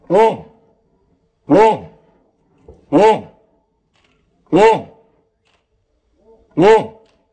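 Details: Odin, a German Shepherd, barks as a hot air balloon approaches. Five loud, harmonic, arched barks come about every one and a half seconds, with short silences between them.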